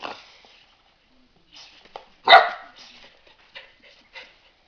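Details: Golden retriever puppy in Poland, told to speak on command, lets out one sharp, loud bark midway, surrounded by quieter short sounds and faint rustling.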